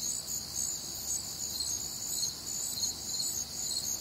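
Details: Crickets chirping on a warm, humid summer night in the American Midwest, a continuous high, shrill pulsing chorus of several overlapping callers with a quiet low-frequency background.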